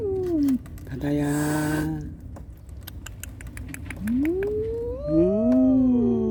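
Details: Cats, a mother warning an unwelcome visitor to protect her kittens and kittens plaintively seeking her: drawn-out, wavering meows that rise and fall, a harsh noisy cry early on, with clicks and rustling in between.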